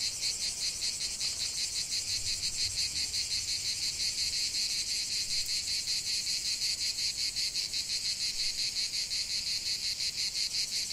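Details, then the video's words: Chorus of cicadas in the heart of a lavender field, a loud unbroken shrill buzz pulsing rapidly and evenly, nothing else audible. "ce chant de CIGALES au cœur d'un champ de lavande"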